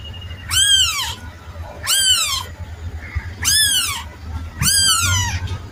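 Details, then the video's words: Kitten meowing in four separate calls roughly every one and a half seconds. Each is a clear, high, arching mew that rises then falls, over a low steady background hum. "Suara anak kucing"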